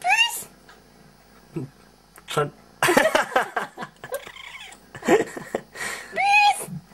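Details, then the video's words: Female pet cat meowing when asked to say yes indoors: short rising meows at the start and end, answering a person who speaks Dutch between the calls. "Talking Cat ( saying yes )"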